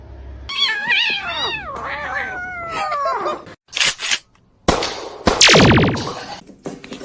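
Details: Domestic cat meowing indoors: long, wavering, drawn-out meows whose pitch slides downward over about three seconds, then clattering knocks and a loud harsh burst near the end.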